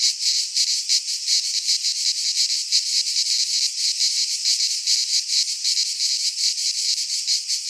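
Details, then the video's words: Midsummer chorus of cicadas in Greek pine woods, a steady piercing high-pitched buzz with quick regular throbbing pulses throughout, nothing else audible. "Cicadas singing in midsummer - Nature sounds from the Greek fauna - Sounds of cicadas"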